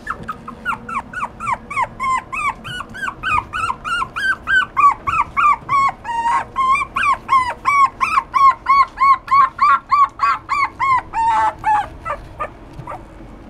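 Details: Poodle and Maltese mix dog giving a long run of high, whining yips, each rising then dropping in tone, about three per second and fairly regular, continuing for over twelve seconds over a low steady background hum.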